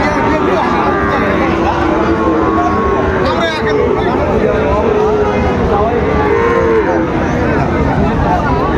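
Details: Sahiwal bull calves being bought and sold at the opening of Raniganj cattle market in Dinajpur on 23 October 2025; low drawn-out moos rise and fall among a constant hubbub of bargaining voices and passing vehicles.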